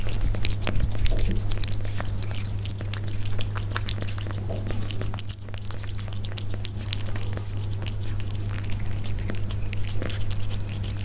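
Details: Persian cats eating, recorded up close: rapid, irregular crunching and smacking clicks about four per second, with a steady low hum underneath and brief faint high whines.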